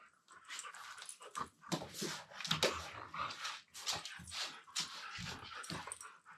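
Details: Two Siberian Huskies playing indoors, mouthing each other while lying on the floor before wrestling, one talking in a low-pitched voice; breathy grumbles, huffs and short whines come in quick irregular bursts.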